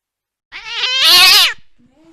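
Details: Cat chasing a mouse late at night: one loud, strained meow about a second long with a rich harmonic tone. It swells into a harsh, noisy peak and then fades.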